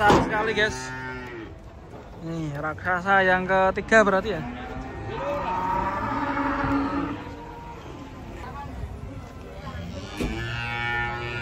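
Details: Huge cattle unloaded from a truck one morning; a series of long bellowing moos, some sliding in pitch and rich in overtones, repeated in short bursts, with background chatter and handling noise.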